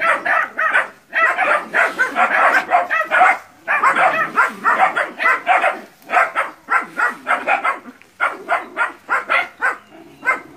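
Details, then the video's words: Nine puppies in training confront a large water buffalo in West Sumatra, Indonesia, barking in a dense, overlapping chorus of short mid-pitched barks, several dogs at once with almost no pauses. "ANAK ANJING VS KERBAU"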